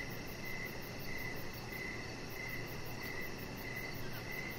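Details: Evening crickets sing near a deck with a resting chihuahua puppy, giving regular pulsing chirps roughly twice each second above a broad rumbling background noise.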